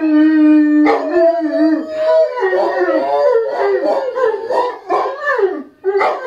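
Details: English Mastiffs singing along to a siren, with a second dog joining in: a steady held howl opening, then wavering, bending overlapping howls and yelping cries rising and falling in quick succession.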